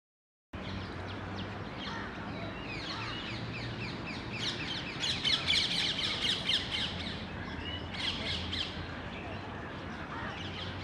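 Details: Indian palm squirrel in the wild during mating, recorded 19 February 2021. Sharp, high chirps come in a rapid, fairly regular burst mid-clip, with scattered chirps before and after over a steady, noisy outdoor background.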